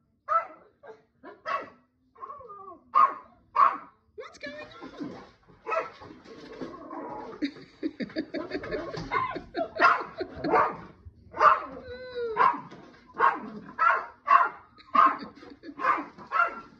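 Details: Chloe, a Yorkshire Terrier indoors, barks excitedly at Minki the cat playing in a large box: sharp, harmonic yaps come in quick bursts, some rising into whines, and a person chatters to the animals throughout.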